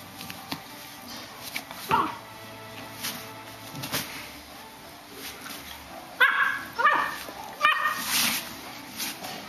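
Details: A female Bloodhound puppy gives short, high, wavering howls and yelps, with faint music behind.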